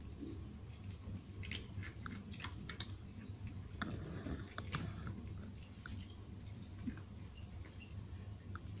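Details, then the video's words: Nine cats in Portugal crunching dry food at breakfast and snack time indoors; dense, irregular crisp crunches and clicks come in quick succession over a steady low background hum. "Cats Crunchy Eating Sounds | Cats Eating Dry Foods"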